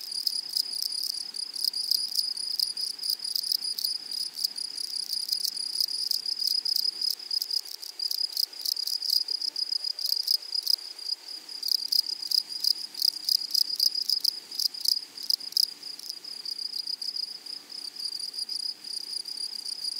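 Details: Grasshoppers on a flowery prairie meadow: a high rapid pulsing buzz that grows into louder clustered bursts of ticking midway, then settles back to a steady shrill drone.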